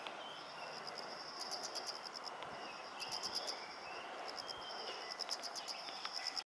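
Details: A chorus of autumn insects in a home garden holds a high, steady ringing trill at night, overlaid by rhythmic bursts of quick, bright chirps in short runs, with soft background hiss.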